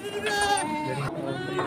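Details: Beetal goat, a doe with two kids, on a farm during a live sale; a loud, wavering, harmonic bleat lasting about a second, then a brief pause before a second bleat begins.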